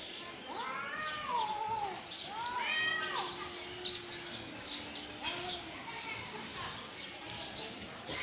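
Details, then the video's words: Two cats fighting, trading drawn-out wailing yowls with rising and falling tones, several harmonic calls overlapping in the first three seconds and a lower moaning growl near four seconds, then quieter whines; faint voices behind. "2 cat fight voice"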